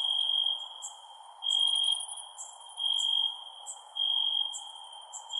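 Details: Crickets at night: a steady high-pitched trill that swells into louder bursts about every second and a half, with short sharp chirps from higher insect voices above and a soft, even background hiss.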